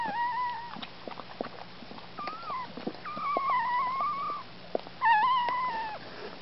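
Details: Scottish Terrier Licorice giving birth on 29 December 2010. Thin, wavering high whines: three drawn-out tones of about a second each with a short squeak between, over soft clicks and rustling.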